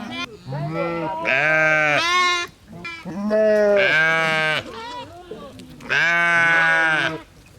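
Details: Sheep bleating: three long, loud, harmonic baas, each about a second or more with a wavering tone, separated by short quiet gaps.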